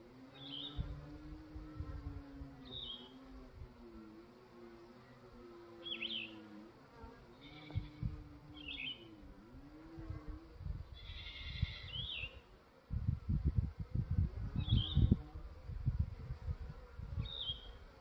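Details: Honey bees at the landing board of a brand new Langstroth hive, morning of day 3 after a new nuc was added and two days of rain; a steady wavering hum for about ten seconds, then low thumping noise, with short bird chirps throughout.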